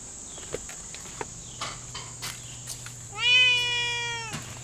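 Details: A Lynx Point Siamese cat talking back: after scattered soft clicks and taps, one loud, long meow rises quickly, holds steady for about a second, then drops slightly as it ends, over a constant high whine.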